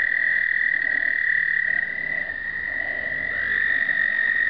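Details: American toads trilling at an explosive breeding gathering in 2009, pocket point-and-shoot recording: a dense chorus of long, high, steady trills, a second trill entering at a slightly higher pitch toward the end.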